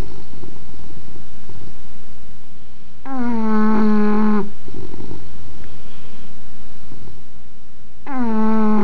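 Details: English bulldog snoring, filmed on an Android phone: long droning, humming snores of about a second and a half each, one midway and another starting at the end, with soft rumbling breaths between them.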